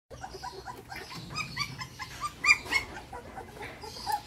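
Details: Belgian Malinois puppy being fed milk formula, giving rapid high squeaky whimpers in quick succession, about four per second, uneven in loudness, with a faint low background hum.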